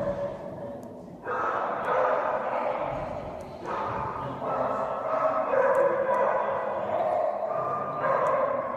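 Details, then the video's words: Loki, an Alaskan Malamute, having fun at Dog Diplomacy on 27 January 2017, gives several loud, drawn-out barking vocalisations, each starting abruptly and holding a mid-pitched tone for a second or more, with faint voices in the background. "Loki the Malamute at Dog Diplomacy"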